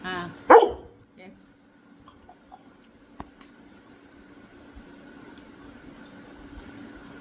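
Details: A Labrador Retriever gives one loud, sharp bark when told to speak again, then falls silent while faint clicks and low room noise continue.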